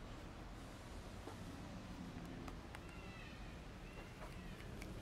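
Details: A hungry kitten begging for food while still wary of the person approaching it: one faint, drawn-out meow with a slight downward slide, heard over a steady low rumble of background noise with scattered clicks.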